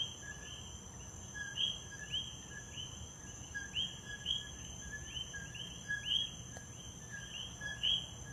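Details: Coquí frogs in Puerto Rico repeat their two-note 'co-QUI' call, a short low note followed by a rising whistle.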